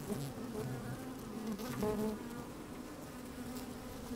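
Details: Honey bees busy at work inside an opened beehive on a fine sunny day, recorded with a microphone slid down into the hive: a steady low droning hum with a bright overtone, swelling slightly near the middle, with faint scratchy movement sounds.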